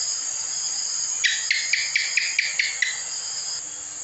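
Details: Cicak, a house gecko, gives a run of about eight crisp, evenly spaced chik chirps over nearly two seconds, set against a constant high-pitched background whine.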